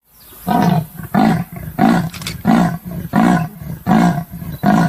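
A leopard gives a run of deep, rasping grunts, like a saw drawn back and forth.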